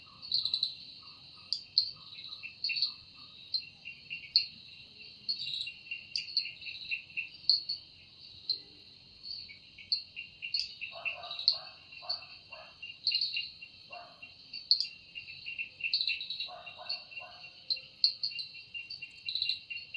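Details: In a forest at evening, a cicada's sustained shrill buzzing runs throughout, rising and falling in intensity, joined midway by brief bursts of lower rattling notes from another caller.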